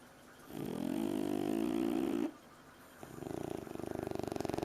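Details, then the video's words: Two French Bulldog puppies asleep on a couch snore with a long, rough, rumbling breath, then a pulsing, fluttery exhale. "French Bulldogs Snoring"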